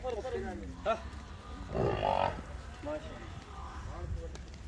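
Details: Nili-Ravi cross buffalo, one of three in Pakistan, gives a single loud, harmonic lowing moo of about half a second near the middle, preceded and followed by human speech over a steady low background hum.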